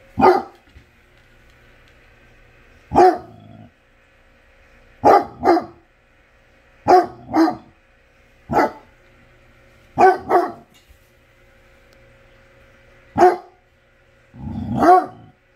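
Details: Basset hound barking in loud, deep single woofs and quick doubled barks, spaced one to three seconds apart over a steady low background hum.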